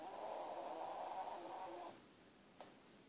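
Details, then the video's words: Sleeping dog snoring like an old steam train: a rough, buzzy rasp held for nearly two seconds, then quiet breathing with a single faint click near the end, indoors. "My Dog snores"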